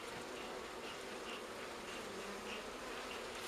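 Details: Wild honey bees from a forest nest on a fallen tree near Kiev, Ukraine, being moved into a hive; steady dense buzzing hum throughout, with soft swirling flight tones drifting past.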